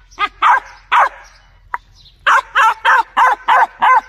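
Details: Loud dog barks: a few spaced barks, a pause, then a quick even series of six rapid, harmonic barks.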